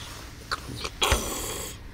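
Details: A cat hissing at another cat: a harsh, breathy burst of noise lasting under a second, preceded by a few short soft huffs, in a quiet indoor setting.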